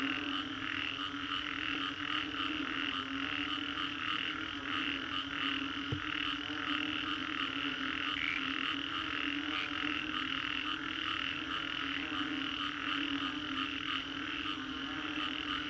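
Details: After a storm in the Green Corridor, Singapore, many frogs call together in a thick, rhythmic throbbing chorus of trilled croaks that never pauses, layered over a steady low drone, with one sharp click midway.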